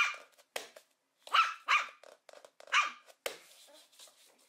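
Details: A few high, squeaky puppy barks spaced about a second apart, each short and bright, followed by a fading noisy tail.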